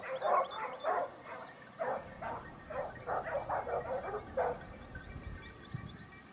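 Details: Topsfield Lebrera Basset Hound pack working a hunt in Spain, 2015-16, second season. Short baying cries come in bursts for about four and a half seconds, then fade, leaving quieter background noise.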